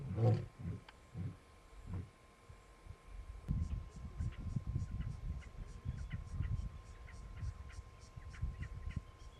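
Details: White lion and his brothers, adult males resting in Kruger National Park, South Africa, west of Nsemani Dam: a lion roars in deep, throaty grunts that slow and fade, then low rumbling continues.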